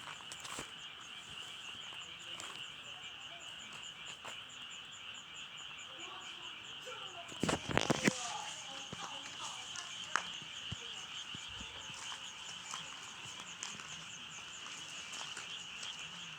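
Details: Frogs calling in a dense, continuous chorus of fast pulsed trills, many overlapping voices at a steady high pitch, with a brief loud rustle or knock around eight seconds.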